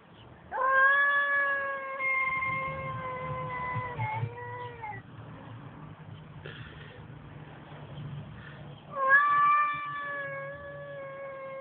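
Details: Male cat making a strange, long drawn-out wailing yowl, steady and strongly harmonic, sagging slightly at its end after about four seconds, then a second rising wail near the close, over a low rumbling background.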